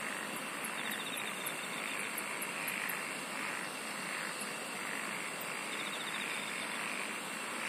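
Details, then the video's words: Insects singing in a dense night-time chorus: a steady high shrill drone and a lower sustained band, with short ticking pulse trains high above and soft throbbing pulses near the middle, all continuous without pause. "SINGING OF INSECTS"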